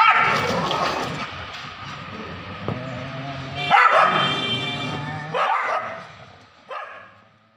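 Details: Street dogs fighting in Kolkata in 2023: harsh, strained barks and yelps in several loud bursts over a steady low rumble of background noise, with gaps of one to two seconds between outbursts.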